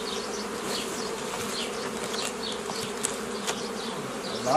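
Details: Continuous low hum of honey bees during the old-style making of nucleus colonies from a forager swarm on 15 May 2018; even, droning buzz with scattered bird chirps above and a brief louder knock at the end.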